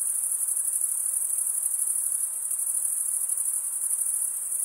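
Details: Crickets, chirping males stridulating by rubbing one wing along the toothed vein of the other, make a dense, steady high-pitched trill with a faint rapid pulsing, unbroken throughout; no other sounds stand out.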